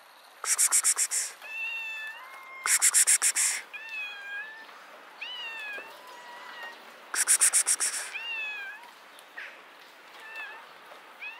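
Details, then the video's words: Cat sitting up in a tree, answering with a string of short, bent meows that rise and fall, several in quick succession, while a person repeatedly hisses sharp ksksk bursts toward it. "Cute cat sits on a tree and meows"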